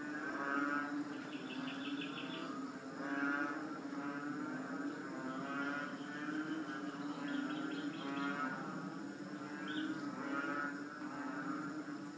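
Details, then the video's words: A group of three-inch frogs, known locally as tugak, call together in a continuous moo-like drone. Long nasal notes overlap and pulse, with brief brighter chirps rising above the chorus now and then. "Tugak strange sound"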